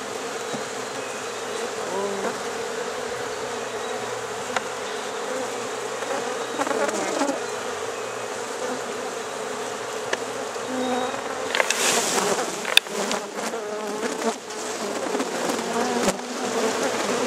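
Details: Honey bees in Rosharon being put into a hive late at night: a steady, low droning hum with a clear overtone, then sharp clattering and rustling handling noises toward the end.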